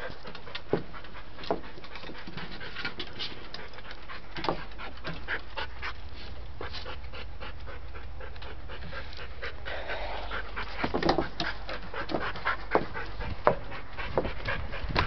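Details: Dante the dog keeps panting in rapid rasping breaths while trying to reach his toy; a person encourages him with "find it, boy", and scuffling sounds rise toward the end.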